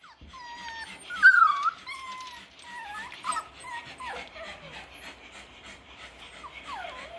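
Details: Six-week-old Parson Russell Terrier and Russell Terrier puppies, several pups indoors in a pen, giving high thin whines and yips that rise and fall, overlapping one another, with soft rustling throughout.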